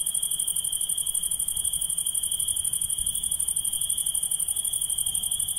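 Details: Nocturnal insect chorus of a constant, ringing high trill and an even higher rapid pulsing buzz, both unchanging throughout, against a quiet low background.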